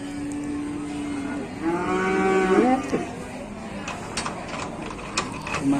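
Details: Cattle during a fight causing an uproar at a busy morning livestock market in Indonesia: a steady low drone, then a strained, rising-and-falling moo of about a second and a half, with crowd noise and knocks behind.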